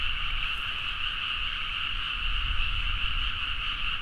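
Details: Frogs in full chorus at midnight in a rice paddy in Nagaoka, Niigata, Japan, recorded on a Zoom H4n: a dense, unbroken trilling wall of many overlapping callers in two bright bands, with a soft low rumble underneath.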